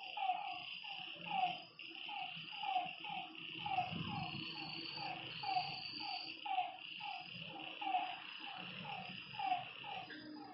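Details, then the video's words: Lakeside frog at night giving a steady run of brief, falling croaks roughly every half second to second, set against a continuous high droning hum and a low rumble midway through. "Lakeside night creatures and frog sounds"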